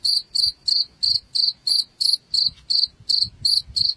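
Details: Rat-repelling cricket sound: short bright chirps repeated roughly three times a second, each a tight pulsed burst, evenly spaced over faint low rumble.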